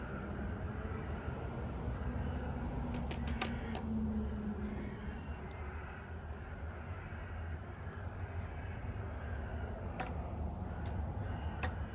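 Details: A steady low mechanical rumble with a few sharp clicks and knocks, and no animal voice.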